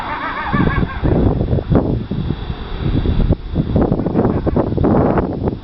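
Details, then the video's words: Coyote at night behind a house in Fort Worth, Texas, just after 12:30 AM on November 17, 2013, often following a train horn: rough, repeated cackling barks with wavering yelping notes; recorder unsure of species. Coyote. "Coyote Barking -- Fort Worth, TX -- 8 of 10"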